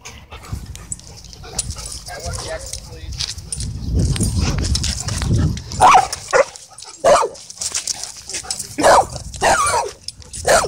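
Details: Playful dogs wrestling at a dog park; after a murmur of people talking, several sharp, loud barks ring out about once a second toward the end, with voices underneath.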